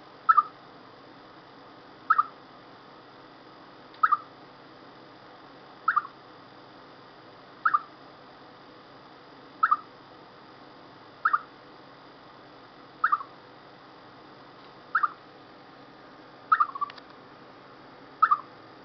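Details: Chipmunk sounding off before rain: ten sharp chirps repeated steadily about every two seconds, some doubled, all at the same mid pitch, over quiet background hiss.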